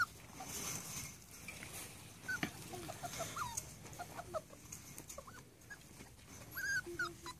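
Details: Rat Terrier puppies, seven and a half weeks old, give soft, high whimpers and short squeaky whines scattered through the recording, faint against a steady background hiss.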